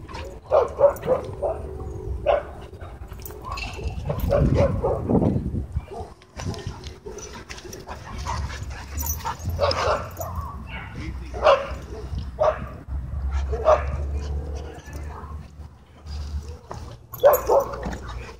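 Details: Dogfight breaking out during play at a dog park: repeated bursts of barking and snarling from several dogs over eighteen seconds, mixed with human voices and a low background rumble.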